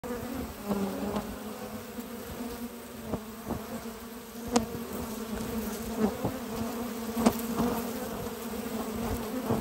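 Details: Western honey bee colony on a spring morning, foragers bringing at least six types of pollen into the hive: a steady, low humming drone of many bees with occasional sharp clicks and taps.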